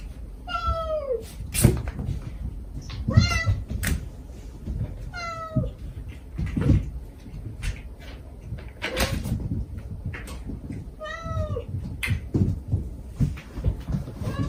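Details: Stray mother cat gently calling her kittens while the kittens answer with sweet begging cries, recorded to lure the last kitten of five out during a rescue; high tonal meows with downward-bending tails, repeated every two seconds over clattering knocks.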